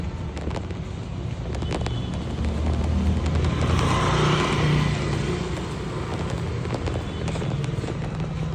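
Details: Low rumbling traffic noise with scattered sharp pops and a steady hum, and no animal voice. A faint swell of background sound rises midway and then fades.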